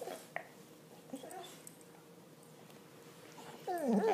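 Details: An English Springer Spaniel playing with his armadillo toy gives a brief, wavering whine with a few faint soft noises before it.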